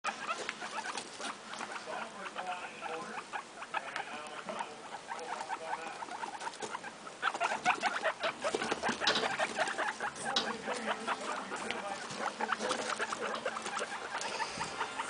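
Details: Guinea pigs making short, rapid squeaks and chirps among steady rustling and pattering, with brief tonal notes scattered throughout.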